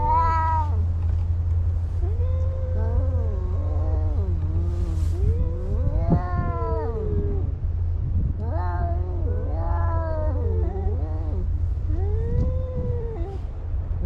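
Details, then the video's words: Two cats fighting, trading drawn-out wavering yowls that rise and fall in pitch, with short pauses between bursts and several overlapping wails near the middle, over a constant low rumbling hum. "Two Cats Fighting"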